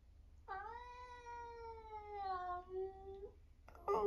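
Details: Long drawn-out meow from an 11-year-old semi-long-haired tabby tomcat at home in Britain, a very vocal cat; one steady tone lasting about three seconds with a slight dip near the end, then a rustle, with a woman's voice talking before and after.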